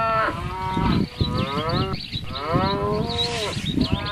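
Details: A cow lows loudly with long, strongly harmonic moos, each swelling and bending downward in pitch, three calls in quick succession against a low background rumble.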